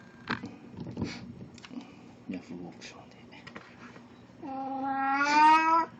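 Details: Puran the cat, dressed in a Snow White costume for an encore after a birthday party, recorded 1 April 2017 indoors; soft speech and clicks, then one long, loud, drawn-out harmonic meow holding steady for over a second.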